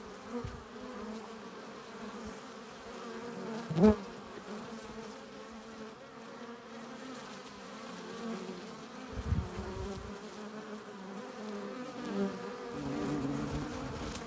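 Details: Continuous hum of a honey bee colony at its hive entrance, bees arriving with nectar and pollen; steady droning throughout, broken by a sharp knock around four seconds and a few bees passing close.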